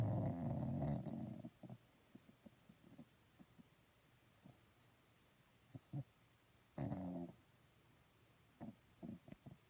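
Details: Pet dog snoring indoors: deep, rough low rumbles, a long snore at the start and another about six seconds later, with soft faint snuffles and clicks between them in a quiet room.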